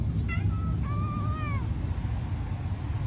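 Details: White Norwegian Forest Cat voicing encouragement: a short chirp-like meow, then a longer wavering meow that rises and falls, followed by quiet low hum for the last half of the recording.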